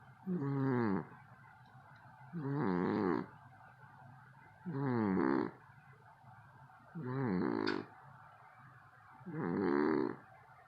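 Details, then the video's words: Loud snoring from a sleeping cat, so loud the household cannot sleep: five rough, throaty, harmonic snores, each lasting about a second and coming roughly every two and a half seconds, with quiet pauses between breaths. "Cat Snores So Loud We Can't Sleep"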